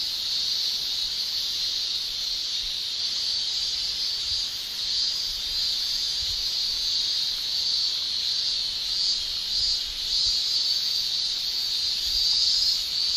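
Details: A steady wall of high shrilling from male Japanese cicadas on a summer day in Japan, tymbal song swelling slightly toward the end with faint beating in the buzz.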